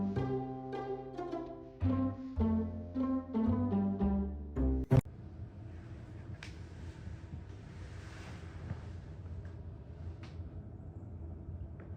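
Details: Bowed and plucked string music with deep bass notes for about five seconds, then a sharp knock and a steady low rumble with faint noise, with no animal voice anywhere.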